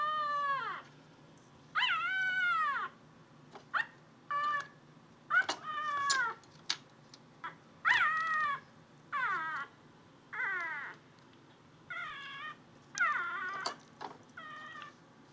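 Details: Athena, a house cat trying to find a noise, meows repeatedly: about a dozen arched, harmonic calls spaced one to two seconds apart, some long and sweeping, others brief chirps, in a quiet room.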